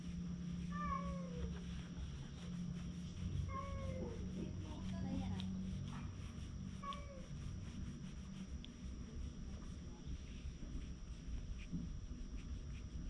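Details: A ginger tabby cat lying on someone's lap, filmed with a GoPro HERO8, meows three times, with drawn-out bending cries about three seconds apart. A low background hum and faint human voices are also heard.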